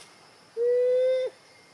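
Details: At rainy time, a female monkey gives a single clear, steady, tonal coo lasting under a second to call her daughters closer.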